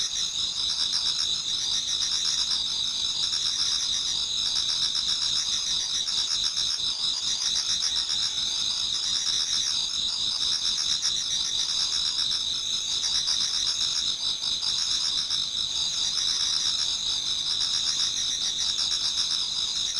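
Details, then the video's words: Numerous autumn insects singing in a Japanese garden toward dawn, a constant high whining chorus with regular rhythmic chirps about four per second, sustained evenly across the whole stretch. "Autumn Insects voice Towards dawn"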